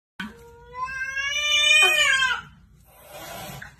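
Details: An angry domestic cat gives a drawn-out caterwaul, a wavering, rising yowl that swells in loudness over about two seconds and then breaks off, followed by a softer, hissy rasp.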